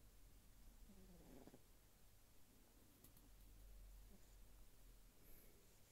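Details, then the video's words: Faint, hushed snore from a sleeping Sphynx kitten: one brief breathy swell early on, then gentle low breathing beneath a steady hum and a couple of small clicks. "Sphynx Kitten Snoring While Sleeping"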